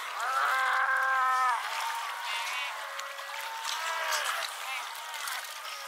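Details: A Cape fur seal at Pelican Point near Walvis Bay, Namibia, on 18 July 2012 gives a loud, drawn-out bleating call, with other seals calling more softly behind.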